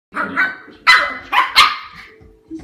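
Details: Shiba Inu puppy rumbling while fighting over a bone, giving a rough opening growl followed by three harsh, noisy yapping bursts in quick succession, then a soft trailing grumble.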